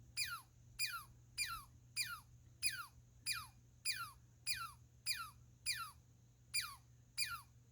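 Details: Squirrel giving repeated piercing notes, each dropping steeply in pitch like a sci-fi laser, spaced a little over half a second apart, with a faint steady hum beneath.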